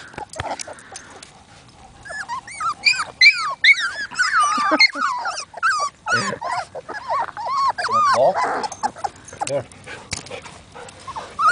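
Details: Labrador Retriever puppies whining for attention, several voices overlapping in quick, arching yelps and squeaky whines, dense and irregular through the middle, with a person speaking softly near the start.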